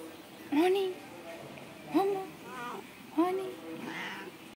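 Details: Domestic cat giving three short rising chirp-like meows spaced about a second or more apart, followed by a softer trailing vocal sound, in a small quiet room.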